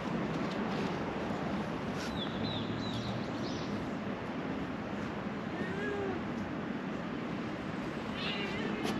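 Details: Affectionate ginger stray cat in Japan, just woken up, answers with a few short meows, one drawn-out cry near the start and soft calls later, over a steady hiss of outdoor background noise.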